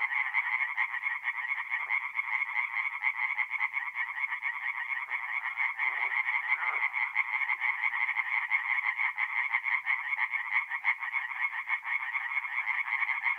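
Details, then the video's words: Night chorus of singing tree frogs at a forest pond in north-east Italy, mid-April, with many frogs calling at once. Harsh pulsed croaks merge into a continuous, even rattle, with a few lower grunts breaking through now and then. "relaxing forest pond by night with singing tree frogs"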